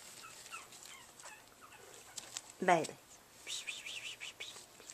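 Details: Littermate Chihuahua puppies Baylee and Thor, black male and dark brown female, about five weeks old, battling each other on August 16, 2011; one sharp harmonic yelp midway, followed by a run of thin high wavering whines.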